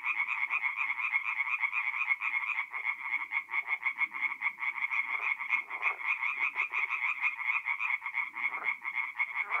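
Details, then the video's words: Night chorus of singing tree frogs in a forest pond, north-east Italy, mid-April: many frogs give rapid, pulsing nasal croaks in a continuous wall of sound, with occasional lower, rougher croaks cutting through. "relaxing forest pond by night with singing tree frogs"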